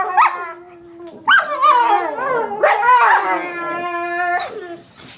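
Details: Pet dogs producing strange noises, a steady held howl at one pitch under sliding, wavering whines and yips that climb and dip, ending with a sustained tone that cuts off abruptly.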